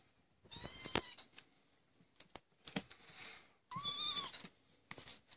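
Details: Maine Coon kittens, 25 days old, in a breeding cattery, wanting to leave the nest: two bursts of high, harmonic mewing with rising and falling wavering pitch, plus short clicks and rustling in a small indoor room.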